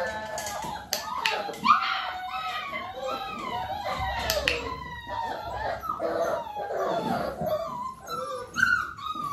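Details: Several Dalmatian puppies almost six weeks old, being clicker trained while their mother Arya spends time with them, whine continuously in overlapping bending tones, sliding up and down, with occasional sharper yelps and background music.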